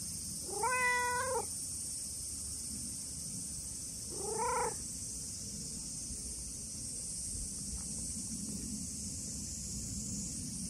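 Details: Brown tabby-and-white stray cat greeting a visitor on a hot day with two short, rising-falling meows several seconds apart, then only rustling and a steady high-pitched hiss.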